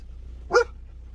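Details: Belgian Malinois guard dog giving one short, sharp warning bark against a quiet background with a low steady hum.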